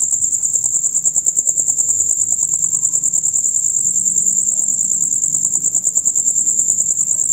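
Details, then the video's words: Male crickets chirping together through the night, dusk till dawn: a continuous shrill, fast-pulsed high chirp, with soft low tones and faint ticking sounds in the background. "Crickets on Concert"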